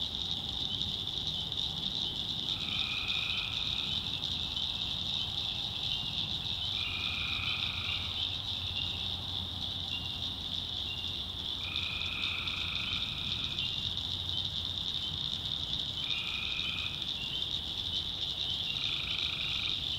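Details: Tree frogs calling at night in North Carolina swamp woods: repeated short buzzy trills, five in twenty seconds, rise above a continuous high insect-like chorus and faint low hum.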